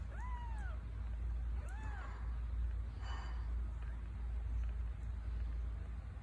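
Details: Two-week-old Scottish Fold kittens give two thin, high mews, each rising then falling, over a low steady rumble.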